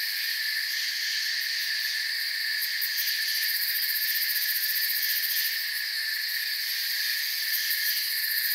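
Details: Forest cricket chorus, many high, shrill insect voices blending into a constant layered trill, with faint quick pulses flickering above the steady drone and no breaks throughout.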